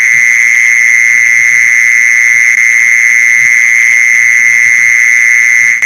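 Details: Mole cricket trill for luring mole crickets. A sustained, level buzzing note with faint harmonics continues unbroken until a brief drop at the very end. Soft low knocks are heard beneath.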